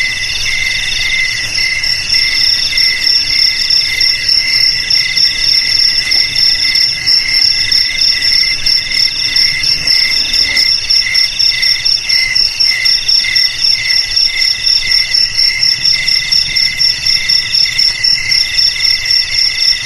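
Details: Cricket chorus presented for scaring away rats: shrill, pulsing chirps repeat about four times a second in steady stacked high tones, unbroken for the whole stretch, over a soft low hum.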